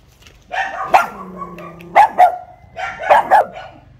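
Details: Pug caged in front of a house, new to the place, reacts to teasing: a drawn-out whining bark followed by two short pairs of sharp barks.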